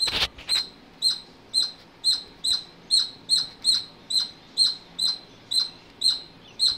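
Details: A squirrel gives evenly spaced, piercing high chirps roughly twice a second after a brief noisy burst at the start, over a quiet background.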